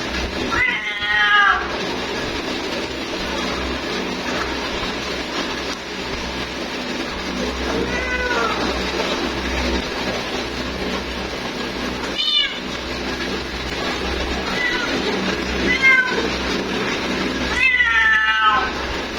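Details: Female cat calling her mate with five separate wavering meows spaced several seconds apart over steady broadband background noise and a low hum.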